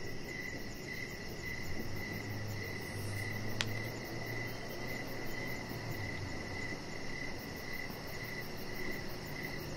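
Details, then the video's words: Evening crickets heard from a deck where a chihuahua puppy rests under decoration lights. Even chirps pulse roughly twice per second over a low rumbling hum, with a single sharp click partway through and a faint high-pitched trill overhead. "Chihuahua Puppy Laying On Deck with Cricket Sounds"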